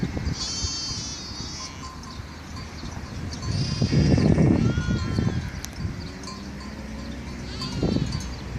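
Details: Sheep bleat in wavering, nasal bursts over a low rumbling background in Mallorca on 24 April 2018; Sheep.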